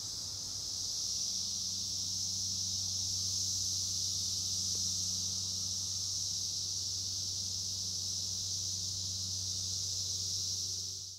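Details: Brood X periodical cicada calling near Princeton Junction, New Jersey: one steady, high, hissing buzz that holds unbroken for about eleven seconds before fading, with a faint low hum underneath.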